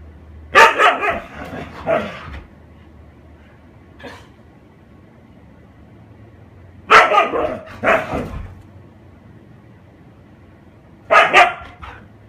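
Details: Hiro the husky barking while playing with a paper bag indoors: three bursts of loud, harsh barks spaced several seconds apart, each a quick cluster of two or three barks, with a faint short sound between them.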